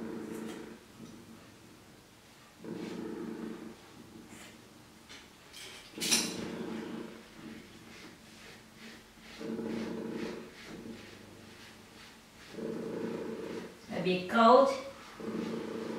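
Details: Domestic cat being bathed in a bathroom at home, also having its hair trimmed: low, drawn-out moaning growls lasting about a second each, repeated every few seconds, then a sharper wavering meow near the end, with faint clicks and knocks between.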